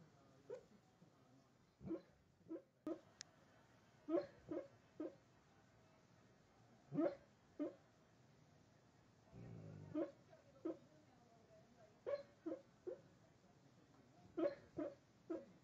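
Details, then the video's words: Wyatt, a dog barking in his sleep, a dog that never barks while awake: soft, muffled, short woofs in irregular clusters of two or three across the recording, with quiet pauses and a brief low rustle midway. "Wyatt barking in his sleep"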